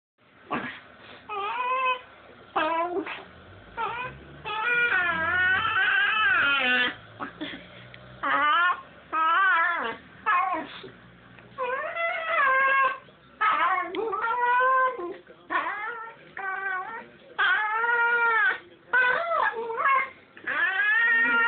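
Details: A dog making strange noises indoors: long runs of warbling, whining, howl-like calls that swoop up and down in pitch, given in bursts of one to two seconds with short pauses.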